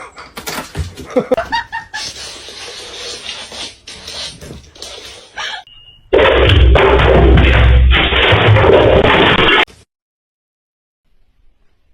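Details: Knocks, a door-like slam and faint voices give way to a loud steady burst of broadband noise with a music-like tone, then silence.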